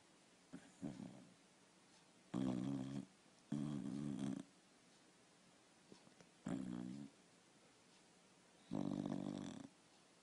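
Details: A sleeping dog snoring indoors: a series of low, rasping, humming snores, each lasting under a second, separated by quiet pauses of one to two seconds.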